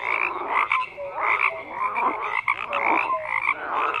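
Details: Frog chorus of harsh, overlapping croaks rising and falling in quick bursts, with brief tonal blips and a couple of sharp clicks between them.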